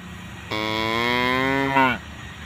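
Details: A tame cow grazing with calves gives a single steady, low moo that swells slightly and lifts in pitch just before it stops.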